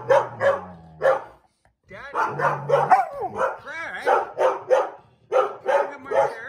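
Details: Feisty Airedale Terrier refusing to give up a chair: clusters of short, gruff barks and grumbling, yowling vocalizations come in quick bursts with brief pauses, over a man's voice and background music.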